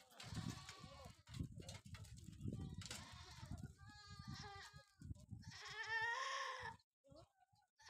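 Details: Sojat breed bucks at a goat farm in Dhule district, Maharashtra, meant for Eid; men talk and handle the goats throughout, then a strong, trembling bleat rises clearly near the end.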